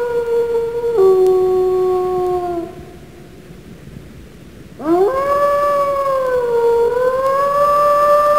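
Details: Wolf giving two long howls: the first is held level, steps down in pitch and fades; after a short silence the second swoops sharply upward and is sustained with a gentle wavering rise.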